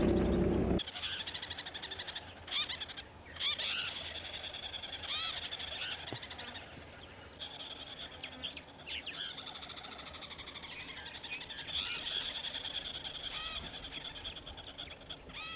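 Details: Squirrels in Botswana's dead tree forest in the morning give rapid, repeated chirping alarm calls throughout a block of woodland, suggesting a leopard walking nearby towards the river.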